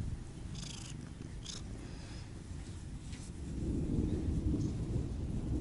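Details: A Siamese cat named Otani or Yozora purring with a rapid fluttering rumble, a few faint rustles early on, and the low throb swelling in the second half.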